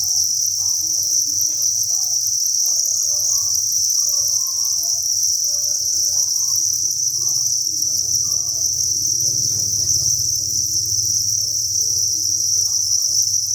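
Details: Thousands of crickets chirping together inside a cricket breeding farm, a dense continuous high-pitched trilling chorus with steady pulsing, faint low murmurs and scattered soft sounds beneath.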